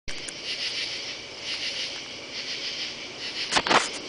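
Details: A steady night chorus of katydids under oak trees in a yard on a Saturday night, July 31, with dry, raspy rasping rising and falling in soft rhythmic pulses, then a couple of sharp crackling thumps near the end.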